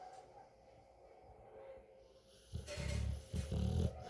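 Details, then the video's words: Sleeping Rottweiler dog snoring: near-silence for the first half, then deep, rumbling breathy snores in three loud low bursts over the last second and a half. "in case you haven't seen a dog snoring"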